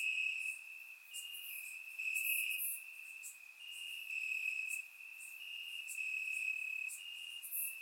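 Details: Crickets in grass at night during a warm Bulgarian summer, surround-recorded; a constant high trill dominates, with scattered brighter chirps and buzzes from further insects flickering above.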